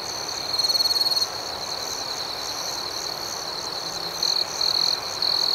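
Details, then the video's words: Crickets calling at night, an even high-pitched ringing trill overlaid with fast pulsing chirps; a louder burst early, then several short louder trills toward the end. "Soothing Cricket Sounds"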